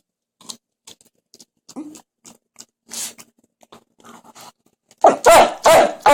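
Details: Jack Russell Terrier making strange noises: a run of soft clicks, snuffles and small grunts, then loud nasal whining yelps near the end, close to the listener.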